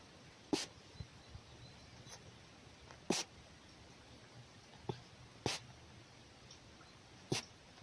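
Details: Scolding wild red fox Markiza expressing displeasure with loud, explosive, breathy huffs like sneezes, four strong ones about two seconds apart with fainter puffs between, over quiet background hiss.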